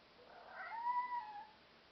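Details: Black European Shorthair cat indoors; a single soft, drawn-out meow lasting about a second, rising slightly then gently falling, with a faint hiss of background noise.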